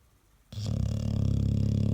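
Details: American Staffordshire Terrier, said to out-snore a washing machine on spin: silence, then a sudden loud, low, pulsing snore that is still going when the recording ends.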